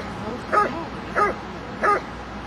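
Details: At the Kinodrom-2008 IPO-1 trial, a Dobermann in protection work gives a regular series of four sharp, ringing barks roughly every 0.65 seconds over faint low background noise.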